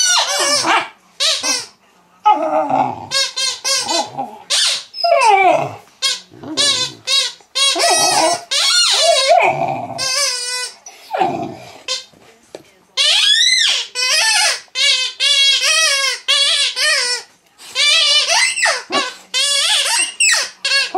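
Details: Mastiff puppy, female, squeaking back at her toy in a long excited bout of high yelps, whines and squeals, mostly short and bunched together, with brief silences between bursts.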